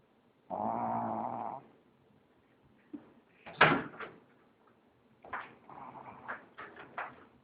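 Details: Pug snoring in its sleep, with one long harmonic rasping breath followed by a run of short, broken snorts and snuffles.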